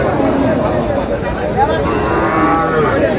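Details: Lean cows being bought by a Dhaka farmer at a busy cattle market: short wavering lowing calls under dense human speech and crowd hubbub, one rising moo around one and a half seconds.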